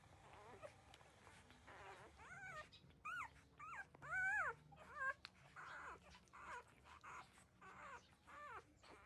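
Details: Newborn puppies, 13 days old, nursing from their mother: a string of high, squealing whimpers, each an arched rising-then-falling cry, about a dozen in quick, uneven succession, with soft suckling rustle underneath.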